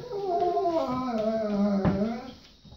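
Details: Golden Retriever Bo vocalizing indoors to tell his boy it's potty time: a drawn-out whining howl with strong harmonics, sliding steadily downward in pitch, with a person's voice asking what he wants around it.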